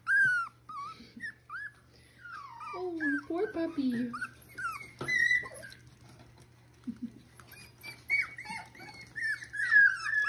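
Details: Indoor play between a Miniature Schnauzer mother and her six-week-old puppies, Joy/Kaiser litter, Mission, British Columbia. A busy tangle of squeaky yips, falling whimpers and drawn-out, wavering whines, broken by a short lull, then rising again into long plaintive cries.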